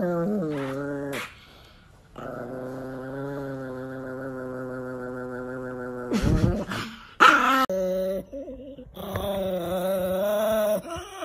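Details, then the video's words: Angry pet Chihuahua growling: a steady, buzzy, low growl held for about four seconds, framed by shorter yips and snarls, with a person talking over parts of it. "Angry Dog Chihuahua"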